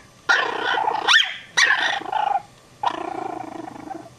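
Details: Loud, harsh barks from a dog frightening Chihuahua puppies: three or four rough, drawn-out barks with a growly edge, separated by brief silences.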